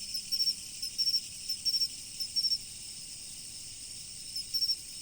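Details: Riverside insect chorus in autumn: rapid trilled chirps of about three pulses, repeated roughly every half second at first and then spacing out, over a constant high ringing background.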